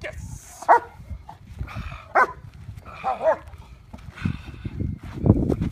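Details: German Shepherd barking in sharp single bursts about a second apart during Schutzhund IPO protection training with a decoy, with low thumping movement noise beneath.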